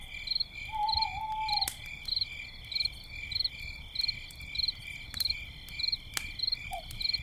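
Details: Night crickets near a crackling campfire, giving regular bursts of bright high chirps roughly every half second above continuous ringing insect drones, with a soft lower hoot-like tone early on and occasional loud fire pops.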